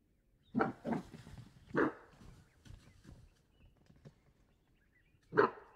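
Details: A Cape bushbuck in the Waterberg Biosphere Reserve, South Africa, gives harsh, gruff, dog-like alarm barks at a nearby threat, a short cluster then more after a long pause.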